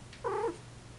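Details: Female Persian cat in heat uttering a short, wavering mew-like cry lasting under half a second in a quiet room.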